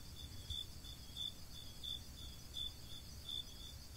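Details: At night, one of several crickets gathered together, some singing while others eat, sings a steady series of high, pure chirps, about three each second.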